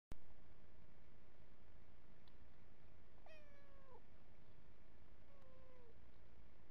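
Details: Cat drinking water from a hose reel gives one clear drawn-out meow that falls in pitch at the end, followed a second later by a shorter, fainter falling meow, over a steady low background hum.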